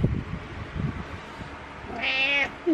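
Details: Morning meow from a domestic cat indoors: one clear, drawn-out, high harmonic meow lasting about half a second, preceded by soft rustling and thumps.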